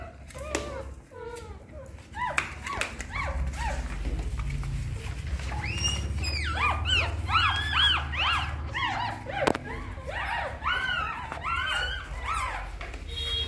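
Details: Newborn puppies suckle at their mother dog's nipples, giving rapid arched squeaks and whines that build into a dense, overlapping chorus after a quieter start, over a steady low hum.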